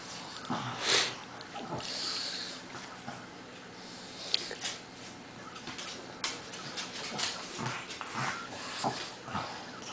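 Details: Lucy and Crystal, a Pug and a Bernese Mountain Dog, in a playful wrestling match indoors; short whimpers and yips, wheezing snorts and scuffling in uneven bursts, with a person's voice faintly present.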